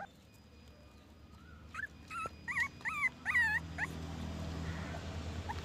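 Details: Puppy giving a run of short, high whining yelps and whimpers, each bending up and down in pitch, about six in two seconds, then quiet with a low background hum.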